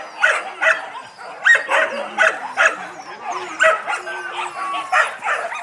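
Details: Several fluffy Yakutian Laika puppies yipping and squealing in quick bursts roughly every half second, high bright voices overlapping with whines in a lively litter.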